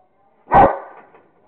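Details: A single loud, deep bark from a Rottweiler called Kingston, having fun playing with a squirrel; the bark fades quickly.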